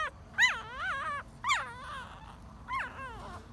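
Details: Newborn puppy, ten days old, giving three drawn-out, wavering whines about a second apart, each rising then sliding down in pitch, over a quiet background.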